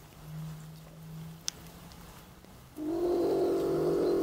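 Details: Trapped beech marten bursts into a loud, sustained, low harmonic growl after nearly three seconds of quiet hum, with a faint background drone.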